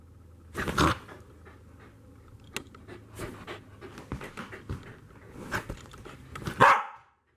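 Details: A corgi gives two sharp barks amid panting and scuffling during an energetic chasing game.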